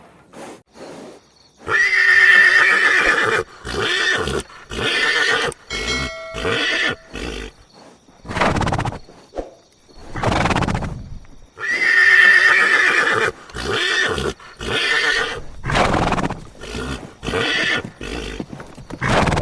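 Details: Horse neighing twice, each a loud harmonic whinny lasting over a second, the second about ten seconds after the first, with short breathy snorts and blowing bursts in between.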